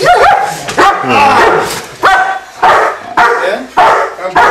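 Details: German Shepherd stud male named Bucca during a bite demonstration at a dog training facility: loud, sharp barks come in bursts roughly every second, with a man speaking between and over them.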